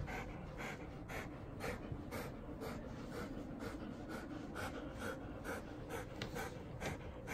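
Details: Golden Retriever Hatch, a seven-year-old female, during a shampoo with dog soap: rapid breathy panting pulses, about two per second, fairly steady throughout, with faint splashing and rubbing in a small indoor room.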